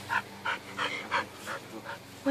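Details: Hoop-jumping Border Collie giving rhythmic, breathy pants about three per second, each a short airy burst, ending in a louder rise.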